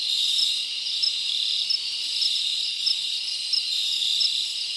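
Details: Summer night in the forest, with many crickets chirping together: a steady high-pitched buzz and sharper chirps standing out at roughly two-thirds-second intervals.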